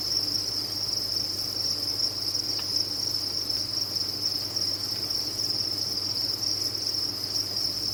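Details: Many farmed crickets chirping together in one unbroken, shrill high buzz that holds level throughout, over a faint low hum with an occasional tick.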